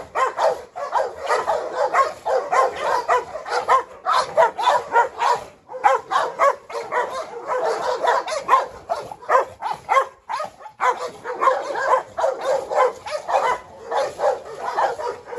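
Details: Three dogs in a yard, a Presa Canario female Hu Niu, a Rottweiler named Pirate and a Staffordshire, chasing and squabbling. Continuous volleys of rough, overlapping barks with only occasional short gaps.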